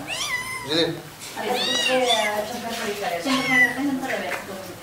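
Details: Kittens meowing indoors, several high, arching, harmonic-rich mews overlapping one another in quick succession with little pause between them.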